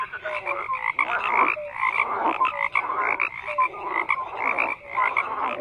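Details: Numerous frogs croak at once, bursts of harsh, grating calls swelling and fading about every second, punctuated by short low tonal notes.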